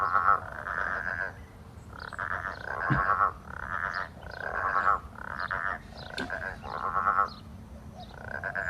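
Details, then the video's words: Growling grass frogs calling all day in full chorus on a stinking hot, windless January day, voices carrying far; drawn-out, pulsed growling croaks repeated roughly every second, overlapping callers, with faint clicks. "I think they were loving the heat. So that was taken in January, and it was a stinking hot day."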